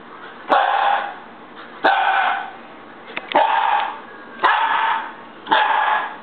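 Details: Young Siberian Husky at home throwing a fit, giving five loud, rough, whining barks roughly every second, each starting abruptly and fading away, with faint clicks in between.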